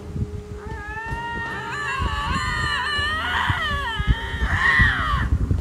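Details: Two lynxes facing each other beside a road in Ontario, filmed from a stopped car by a man and his wife. Long wavering, wailing yowls rise and fall, often overlapping, over a low engine rumble.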